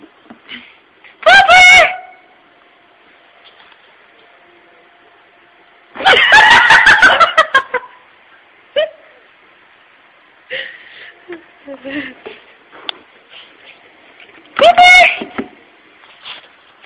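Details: Puppy named Pooper, real name Dylan, barking up a storm at work at closing time, afraid of an empty puppy-shaped tissue holder: three loud, harsh, high bark bursts near the start, middle and end, with soft talking between.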